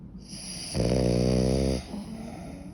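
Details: Sleeping French Bulldog giving one loud, drawn-out buzzing snore lasting about a second, framed by quieter wheezy breathing; indoors, no other sounds.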